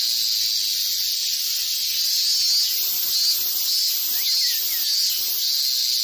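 Many cicadas calling together in a loud, unbroken, high-pitched buzzing drone.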